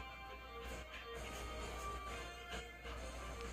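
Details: Background music plays quietly with a few soft knocks and faint speech, and no clear animal sound.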